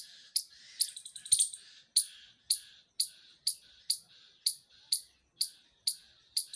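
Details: Squirrel calling: sharp, high, clipped chirps repeated steadily about twice a second, with a quick flurry of rapid clicking notes near the start, against a quiet background.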